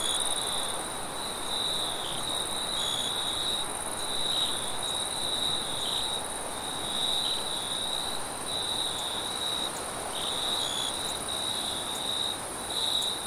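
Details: Several crickets chirping late at night, steady high-pitched trilling broken into uneven pulses, plus sparse brief higher notes and faint hiss.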